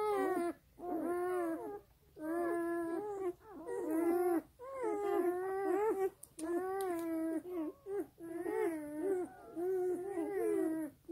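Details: Black German Shepherd puppies feeding from their sleeping mother, giving high, wavering whines and whimpers in repeated bursts about a second long, separated by short pauses, over quiet background.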